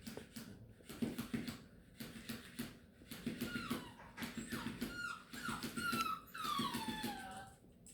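A Beagle puppy whines in high, thin, falling squeals, fussing from tiredness amid soft knocks.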